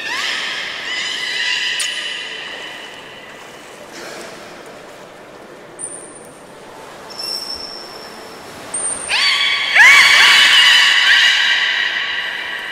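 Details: Belugas at Port of Nagoya Public Aquarium, 11 August 2018, being moved between pools as keepers try to exchange Nana and Hodoi. Bright stacked squeals and upswept whistles come in bursts, loudest toward the end, with thin high pips.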